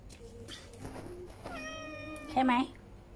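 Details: Stray cat begging for food when hungry, visiting like a shop and departing after its meal; several short meows, then a long, steady, tonal mew and a louder squeaky call near the end, over quiet room hum.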